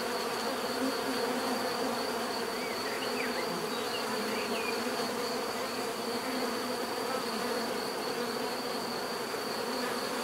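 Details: Bees in a natural setting, their dense, steady buzzing forming a continuous hum with layered low drones and a thin high whine held throughout.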